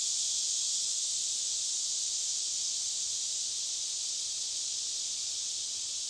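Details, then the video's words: Cicadas calling deep within a forest reached on a hike of several miles, making one continuous shrill buzzing drone, even in loudness throughout, with no pauses. "The Sounds of Cicadas Deep Within the Forest"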